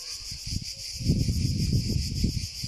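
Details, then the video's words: Cicada song: a steady, high-pitched buzzing band with faint regular pulsing runs through the whole stretch, over louder low rustling and thumping noise that swells after the first second. "Sounds of the cicada"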